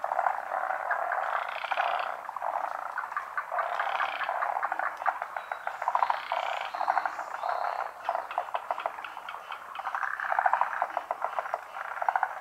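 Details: Frogs calling together in a big pond chorus, hidden from view; continuous overlapping croaks and fast pulsed rattles rise and fall in loudness across the whole stretch.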